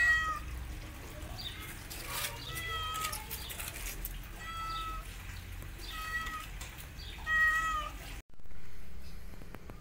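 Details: Kittens crying out loudly as the mother cat teaches them how to walk: a steady series of thin, high meows roughly every second, overlapping voices, ending in a brief silence and low room noise.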